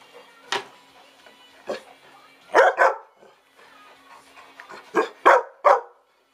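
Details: Old English Sheepdog begging for food: a few isolated barks, then a rapid double bark and a closing run of three loud barks, after commands to sit and jump.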